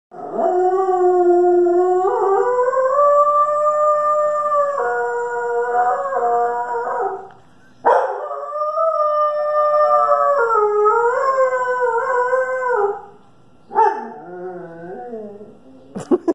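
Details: Woden, a male standard poodle at his old home, howls on his own accord in long, wavering howls that rise and slide between pitches, with brief pauses between.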